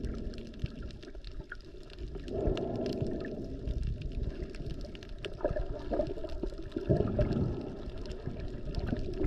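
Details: Humpback whales, mostly mothers with calves, heard underwater by GoPro while snorkeling off Maui near Wailea and Lahaina over President's Day weekend in peak season; low moaning tonal units swell around two and again near six seconds over gurgling water and crackle.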